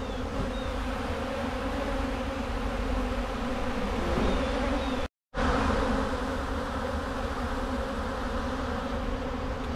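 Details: Honey bees cleaning honey off wax cappings from a recent harvest, outdoors with rain threatening; a steady, dense low hum of many bees, continuous throughout with a brief gap midway.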